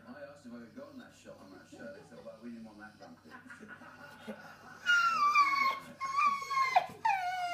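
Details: Female English Bull Terrier whining for food or attention, possibly hungry; soft murmuring and low sounds for the first five seconds, then loud high-pitched whines sliding downward in drawn-out, wavering cries, with a brief sharp squeal near the end.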